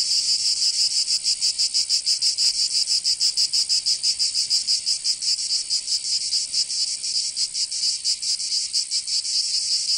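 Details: A summer chorus of cicadas in Provence, southern France: intense, sizzling high buzz with rhythmic pulsing beats, steady and dense, no birds or people heard.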